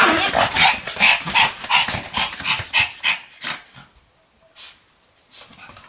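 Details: Sam the Pomeranian spinning at high speed on a new mat, recorded 24 November 2015; sharp high yips repeat about three times a second, then fade after three seconds to a few scattered faint yelps and quiet.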